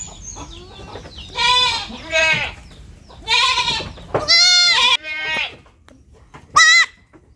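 A young goat bleats repeatedly, with high, wavering, nasal cries in short bursts.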